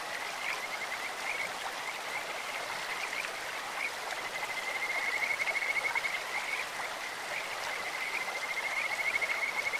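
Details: Stream-dwelling Kajika frogs croak beside clear running water, a bird-like or insect-like voice: several bouts of quick, even, high-pitched pulsed trilling recur across the clip against a continuous wash of stream sound.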